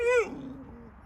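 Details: Arctic wolf pup in captivity, meeting a pup of another wolf kind: one high, whining whimper that starts clear and harmonic, then slides down and trails off into a softer, lower drawn-out whine.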